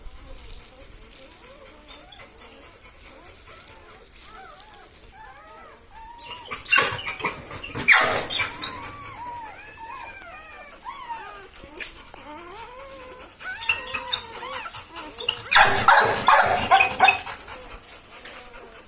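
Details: Saira's newborn Labrador Retriever pups, one of four in the litter, whimpering in overlapping arched squeaks, broken by loud bursts of rustling and handling and a human voice.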